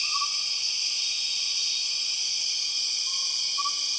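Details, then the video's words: Shrill, continuous insect drone from empress cicadas in the rainforest of Borneo, with a few brief clear notes at start and end. "The weird sound of empress cicadas"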